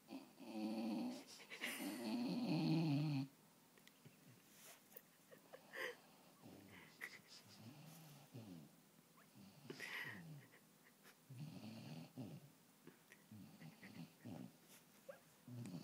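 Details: Ruby the dog sleeping on a knee, giving a couple of loud rasping snores early on, followed by softer snuffling breaths and scattered quiet noises in a small room.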